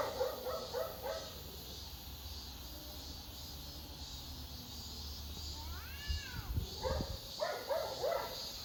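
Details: Domestic cat whose calls are likened to barking: bursts of short, harsh, repeated cries open and close the recording, with a long arched meow rising and falling in the middle over steady background hum.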